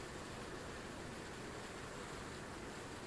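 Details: Steady broadband hiss like wind or rushing water fills the recording, with no distinct animal sound standing out.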